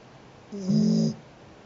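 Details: Sheeta the cat gives a single snore: a low, droning rumble lasting about half a second that swells louder midway, then fades into a quiet room.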